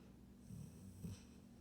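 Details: A female Golden Retriever snores as she falls asleep, a low, rough rumble with each breath a soft buzzy drone; one stronger snorting breath stands out near the end before it settles back to a quiet hum.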